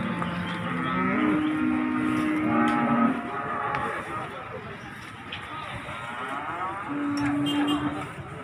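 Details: Jumbo cattle being unloaded from a truck at Margorejo livestock market in Pati, 13 May 2020: low drawn-out moos, one steady and slightly rising near the start, another long flat moo later, over busy market clatter and crowd chatter.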